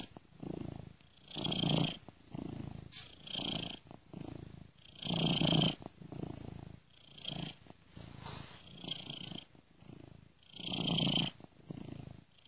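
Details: A sleeping domestic cat purrs steadily, a low rumbling drone that swells and fades with each breath; about a minute of purring is looped, with a software-made ear-to-ear panning effect.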